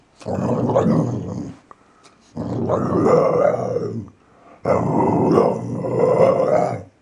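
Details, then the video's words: Archie, a gentle three-year-old male Valley Bulldog, growls and snarls during play; three sustained, rough, rumbling growls of about one and a half seconds each, with brief pauses between them. "Archie Likes To Growl When He Plays"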